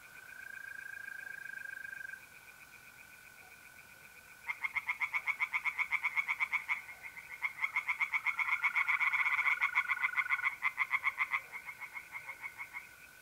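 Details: Tree frogs singing in a pond on an April night in north-east Italy, rapid pulsed croaks in a dense burst after a few seconds, over the steady high continuous trill of mole crickets.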